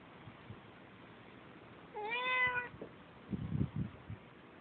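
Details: A domestic cat called Sissy complains about a cat outside in her yard with one loud, rising-then-level meow of under a second, followed by soft thumps and low background noise.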